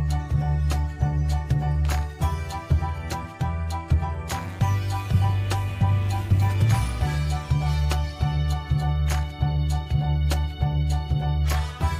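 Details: Loud rhythmic folk-style music with heavy bass beats and layered melodic instruments, briefly dropping to a denser passage midway; no animal calls are audible.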